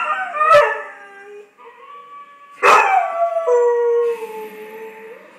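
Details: A dog howls in long, wavering, mid-pitched tones along with two sharp musical hits, as it does whenever it hears the Law and Order theme music.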